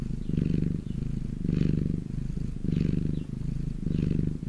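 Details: Domestic cat in the sun, purring steadily: deep rumbling pulses that rise and fall about every second, each louder phase carrying a soft airy breath sound.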